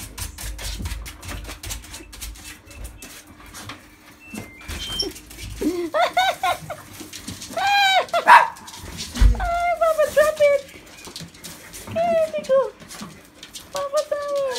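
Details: An excited Malshi poodle welcoming home its owner, giving a series of high, wavering whines and drawn-out cries that rise and fall, in bursts every few seconds, with rustling and footsteps between them.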